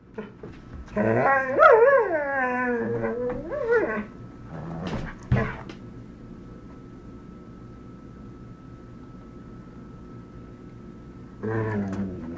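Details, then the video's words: Dog, one of Zachary and Argos, producing a long modulated whining, yodel-like vocalization with wavering pitch for about three seconds, a few sharp yips, a quiet pause, then another whine starting at the end. "Dogs from A to Z make strange noises"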